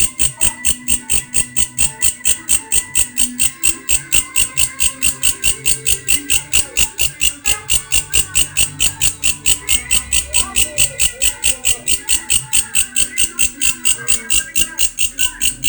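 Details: Grasshopper (belalang) making an unusual, strange-sounding call: a loud, steady train of sharp buzzy pulses, about four per second, high-pitched and unbroken throughout, with faint low rumbling background.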